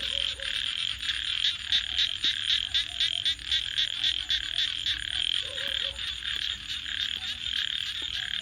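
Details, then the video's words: Night frog chorus near a crackling campfire, made of rapid pulsed calls repeating about four times a second in a steady high buzz. Fire pops and snaps break through at irregular moments. "Crackling Fire 🔥 and frogs 🐸 Sounds"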